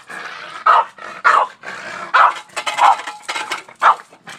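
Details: Boston Terrier barking daily at a shovel outdoors: rapid run of sharp barks, some gruff and rasping, about two per second, with scraping in between.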